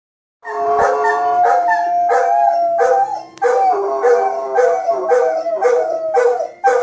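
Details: Golden Retriever. A Golden Retriever gives a drawn-out, wavering howl that rises and falls in pitch. Music plays loudly underneath, with repeated stabbing notes from a television theme.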